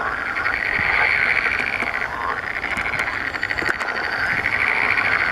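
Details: Mating-season chorus of green frogs, many voices overlapping in fast, buzzy, pulsed croaking that rises and falls in surges, with a few sharp clicks mixed in.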